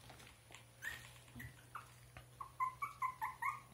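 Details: Russian Toy puppies born on 26 June whimper indoors in a series of short, high squeaky yelps that come faster and louder toward the end, over a faint steady low hum.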